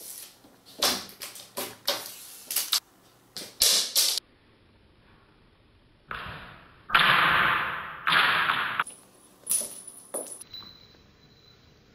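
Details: Indoors, quick clattering knocks and scraping slides of a small object on a hard floor, with a couple of thin steady electronic tones near the end and no animal voice.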